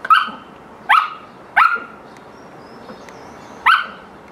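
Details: A Samoyed barks in play, four clipped, high-pitched barks, three coming fast at under a second's spacing, then a pause before the last one.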